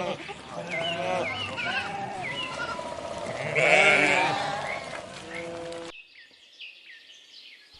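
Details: Sheep giving a run of short, shaky bleats that overlap, some thin and high, one louder drawn-out cry in the middle; the bleating stops abruptly and soft bird chirping follows.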